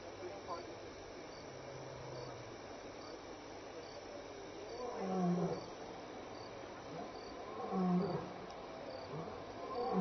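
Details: Lion at Elephant Plains Game Lodge, South Africa, recorded 26 May 2011 between 6 and 7 PM while walking by and contact calling; deep low moaning roars swell twice over steady background hiss and insects.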